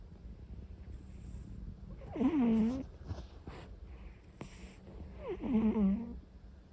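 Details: Pomu, an orange-and-white cat, snoring while asleep: two tonal, nasal snores, each under a second, with a wavering pitch that dips and levels off, spaced about three seconds apart in a quiet room.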